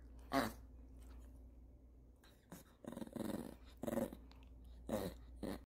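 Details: Hungry 'talking' Maltese called Dubu, indoors in Daechi-dong during sock folding, gives drawn-out moaning grumbles and throaty growl-whines in four or five bursts, rough and voice-like, in a quiet room.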